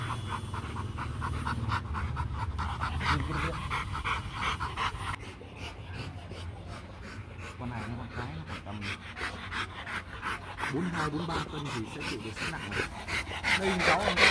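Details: Rottweilers Marvin Gervi (male) and Kacyno Gervi (female) at a mating session in Hà Nội, Vietnam, the male courting a reluctant female; rapid, steady breathy panting, roughly three breaths a second, with people talking in the background.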